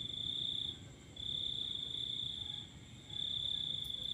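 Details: At night with a full moon, a cricket trills in long high, even bursts of about one and a half seconds, pausing briefly between them, with soft low-frequency background noise.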